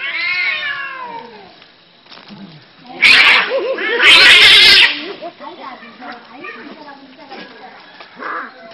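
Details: Cats fighting, caught on camera in 2016: a long, drawn-out descending yowl opens, followed by loud harsh hissing bursts and scattered shorter wavering wails, with human voices in the background.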